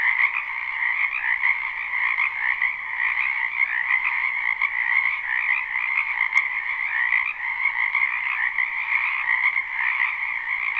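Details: Many frogs croaking in a spring wetland, live and unlooped: a thick, even chorus of high trilling calls running without a break, one brief click partway through.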